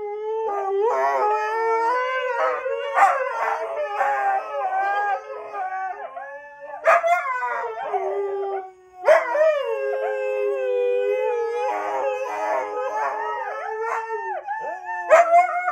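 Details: Husky dog giving a string of long howls with bending, wavering pitch and bright harmonics, broken by short yips and sharp onsets, one brief dip in loudness near the middle.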